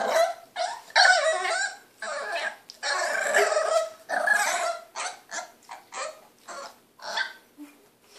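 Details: Cleo, a 3-month-old French Bulldog puppy, impatient because she wants the hand brush: a run of harsh, rough growl-barks and grunts, loud bursts with short gaps, quieter broken yaps toward the end.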